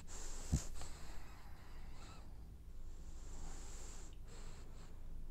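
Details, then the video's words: French Bulldog snoring in its sleep while dreaming, a quick click followed by uneven wheezy, snuffling breaths in short bursts, with quiet room noise behind. "Snoring French bulldog has dreams"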